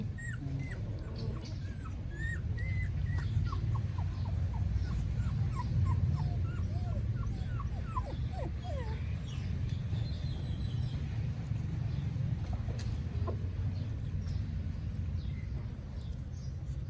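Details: Newborn puppies in Cambodia, filmed on a phone, crying with a run of short high whimpers and yips, thin rising and falling squeaks coming in quick uneven bursts, then thinning out, over steady low background rumble and occasional voices.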